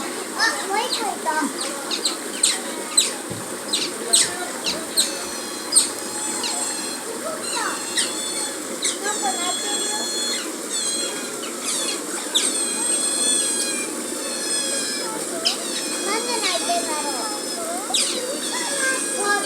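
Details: Zoo-kept Asian small-clawed otter rubbing itself on a big tree, giving a dense run of sharp, high squeaks and bent chirps, several per second, with faint murmuring and a constant background hum.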